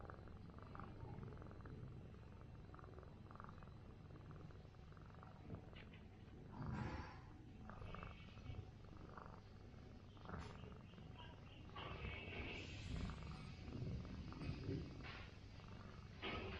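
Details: Large orange rural cat being massaged after a night of fighting with feral cats, giving a continuous deep purr, a dense low throbbing hum under rustling handling noises.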